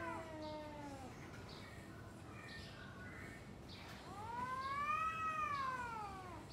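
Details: Domestic cats exchanging threats before a fight: a falling yowl at the start, a pause with faint sounds, then a long arching wail rising and falling over two seconds.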